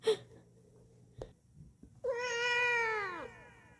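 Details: Pet cat answering its owner: after a few soft clicks and taps, one long, clear, harmonic-rich meow that starts high and slowly slides downward before fading, indoors.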